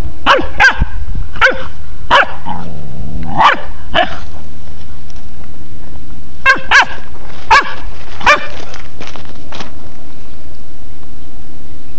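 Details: Pharaoh Hound pup beside a hen barks in quick bursts of two or three shrill yaps, with a short low, wavering growl-like sound early on and constant low-pitched background hum throughout.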